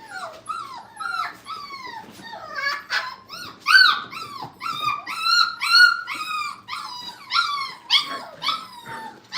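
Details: Brittany puppies during crate and tunnel training at a kennel, giving a steady chorus of high, wavering whimpers and whines that bend downward, overlapping and repeated through the whole stretch.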